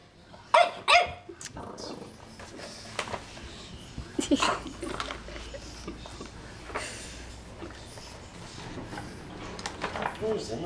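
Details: A young French Bulldog puppy, afraid of and disliking a magazine, gives a few sharp, high-pitched barks, then rustling and handling noises follow.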